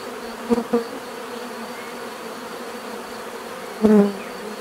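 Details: Natural bee buzzing: a soft, steady low hum, with single bees flying close by as brief louder buzzes, two quick passes near the start and a fuller one near the end.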